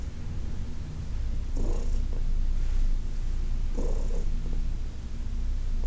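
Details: Senior shelter-adopted cat Heidi purrs while being massaged, August 2021: a continuous low, throaty purr that swells slightly in the middle, broken by two brief rustling touches.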